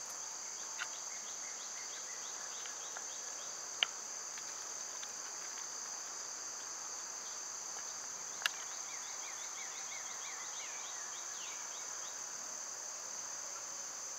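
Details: Cicadas droning steadily in summertime, a bright unbroken whine, with scattered bird twitters and a few sharp clicks or taps.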